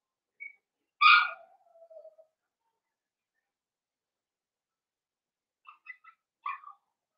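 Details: Blenheim Cavalier King Charles Spaniel puppies, a litter of five born at New Year's, indoors in a home puppy pen; one sharp harmonic yelp sliding into a faint trailing whine, then a few soft scattered squeaks near the end.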